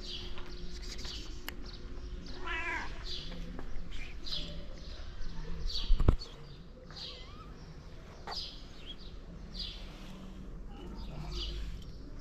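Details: Calico cat fostering kittens that are not her own, at feeding time; a longer stacked meow near the third second among short, high, repeated mews, over a steady low hum and occasional clatter.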